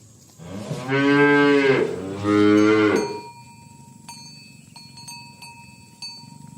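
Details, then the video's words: Cattle being driven to the pen along a village road in the morning; two long, strongly harmonic moos follow each other closely, then cowbells tinkle against quiet background noise. "Asmr Sapi Moo | Suara Moo"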